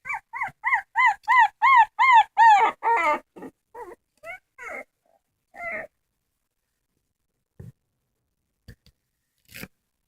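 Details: Dog crying in a series of high, wavering whimpers repeated rapidly for about three seconds, then scattered shorter whines and a few soft clicks before near silence.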